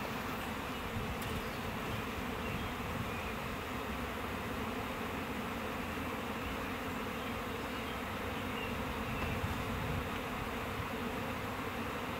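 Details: Honey bees from a swarm fanning at a hive box after being moved in with their queen, June 10, 2017 morning. Loud steady buzzing hum throughout, with a single faint knock near the start.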